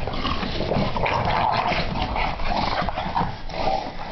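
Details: Two English Bulldogs playing together give low rumbling play growls, snorts and a few whimpering yips.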